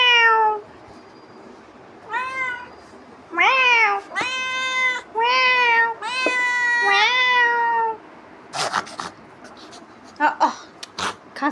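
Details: Domestic cat pestering its owner indoors, giving about six loud, drawn-out, tonal meows. Some rise then fall and a few are long and wavering. The meows come in bursts over eight seconds, followed by short sharp clattering noises.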